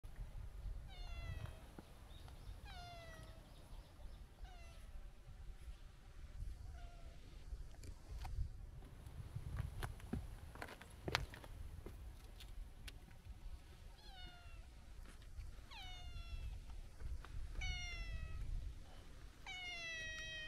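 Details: Long-haired brown tabby-and-white stray cat relaxing by the seaside while being petted, meowing chattily; short harmonic meows repeat every couple of seconds over low wind rumble and occasional handling clicks.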